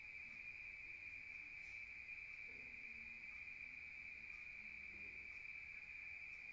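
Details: Rural crickets at night keep up a steady high ringing trill, while faint low tonal sounds drift beneath.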